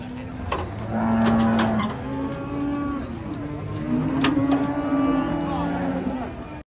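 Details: Several drawn-out, low bellowing moos overlap and follow one another as cattle are unloaded from a truck, with steady background rumble and a few sharp knocks.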